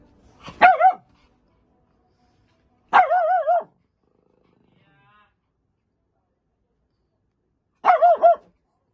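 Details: Puppies play fighting; three separate wavering, whiny yowls, each under a second long, spaced a few seconds apart over silence.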